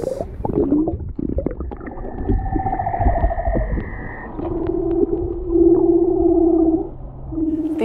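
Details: Two leopard seals by an iceberg in Antarctica, heard above water, give long, eerie, steady tones and low pulsing trills, thought to be a territorial display between males, with a man speaking over them.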